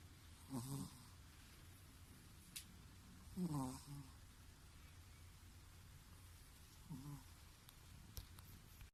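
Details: A Chihuahua sleeping deeply gives soft, gravelly snores, three in about nine seconds at uneven intervals, with faint clicks in the background.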